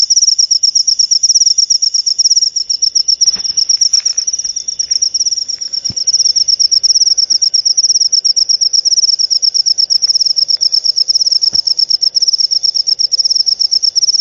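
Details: Cricket chirping, sound used to drive away rats and to lure lovebirds; a steady, high, shrill trill of rapid pulses running without pause, with a few faint clicks beneath.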